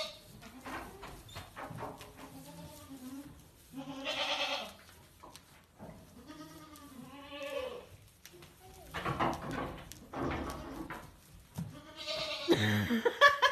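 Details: A barn goat plays rough with a little boy: repeated wavering, arching bleats come every second or two, mixed with knocks, scuffling and loud hissy bursts, and possibly a child's voice among them.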